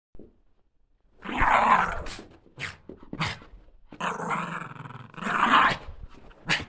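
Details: Female Border Terrier playing and hopping from side to side, giving two rough, breathy growling bursts of about a second each, separated by short scuffling clicks, with a final brief snort.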